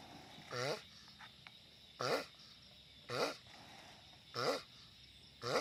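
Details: A giant sulcata tortoise gives noisy, buzzy grunts with a wobbling pitch, four full calls about 1.4 seconds apart and a fifth beginning at the end, set against a low steady hum.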